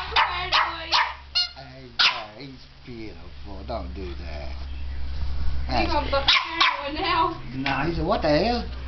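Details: Barking puppy facing a fake alligator head holding its teddy bear; a few sharp barks open, then excited human talk dominates with occasional yelps and barks breaking through over a low hum.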